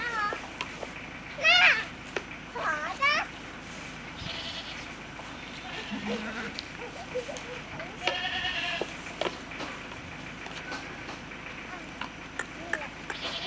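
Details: Saanen goats at a goat farm, several wavering bleats with rich harmonics near the start and again around eight seconds, quieter calls between, over a steady background hum with scattered clicks and faint voices.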